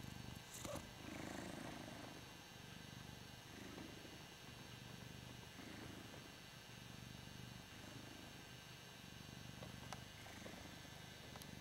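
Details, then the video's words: Ragdoll cat named Hoss purring contentedly as he is adored, a deep continuous purr pulsing in gentle waves with every breath, joined by a few faint clicks and quiet rustling. "Hoss - the Ragdoll Cat - Purring"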